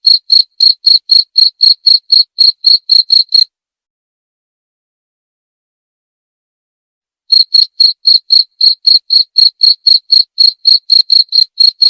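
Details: A cricket's shrill, evenly paced chirps, about four per second, stop for roughly four seconds of silence, then resume at the same rate and pitch; a clean recording with no other noise.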